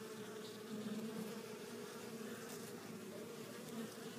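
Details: Swarm of honey bees coming home to the hive loaded with pollen, giving an unbroken collective buzz, a low steady hum with small swells in loudness.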